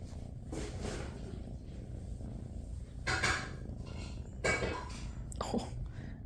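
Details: Ledger, a tabby shelter kitten at SBACC in a room with littermates, purring as a steady low rumble throughout, broken by rustling handling noises and short scratchy bursts near three and four and a half seconds.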